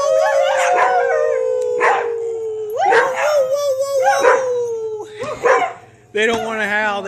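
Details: A group of pet dogs howls, one voice holding a long drawn-out tone that slowly sinks while others break in with short yelps and barks, ending in a higher sustained howl.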